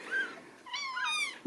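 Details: 5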